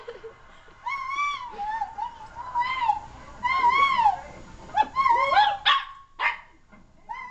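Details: Silky terrier giving wavering howls that rise and dip, followed by quicker broken yelps and short sharp notes toward the end.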